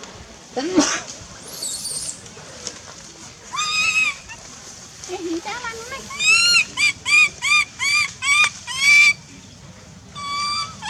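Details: A wild baby monkey in the Angkor Park forest area cries loudly in a run of high, wavering, arched squeals, hungry and calling its mother.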